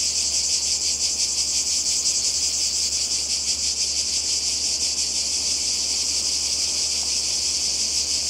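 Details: Summer cicada chorus on the Croatian coast in 2020: an unbroken, high, sizzling drone with a quick regular throb, filling the whole stretch, over a faint low background hum.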